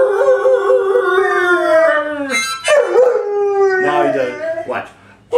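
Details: Singing pet dog joining its owner in a howl: a wavering tone slowly sliding downward, then a second howl falling again, ending in a short rising yelp.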